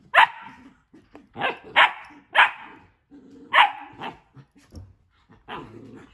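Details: Two pet dogs at play in a new playroom, one refusing to let the other into a tent; a run of six or seven harsh barks, some in quick doubles, with low grumbling growls and rustling between bursts.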